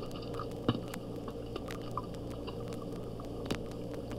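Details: Bottlenose dolphin echolocation clicks reproduced at half their original speed, so twice as long and lower in pitch: scattered sharp clicks popping out over a steady low underwater hum.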